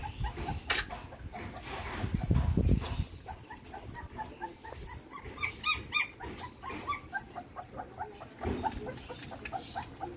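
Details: Belgian Malinois puppy being fed milk formula, giving a quick run of short, high, squeaky whimpers, roughly three or four a second, with brief louder bursts amid steady background noise and soft clicking sounds.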